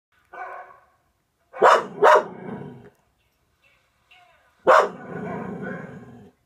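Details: Raelie, a pet dog in a home with a Norwegian Elkhound and a German Spitz, overexcited at a dog on television: a soft whine, then two sharp barks, a pause, and one more bark trailing into a rough growly rumble.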